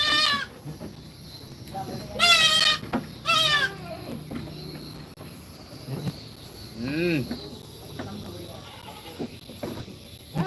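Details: Goat kids in a goat pen at feeding time give loud, wavering, high nasal bleats, two close together near the start, then a lower quavering bleat; people talk nearby over a steady background hum.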